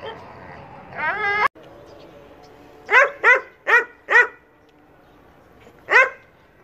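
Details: German Shepherd offered for sale in Peshawar, Pakistan: a rising whine, then five sharp, deep barks in quick succession, and after a pause one more bark, over a low indoor hum.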